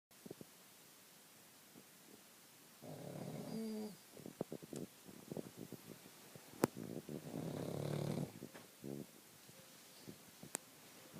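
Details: Sleeping pug snoring indoors in two long, rough, low rumbling bursts a few seconds apart, separated by quieter breathing and small clicks and rustles.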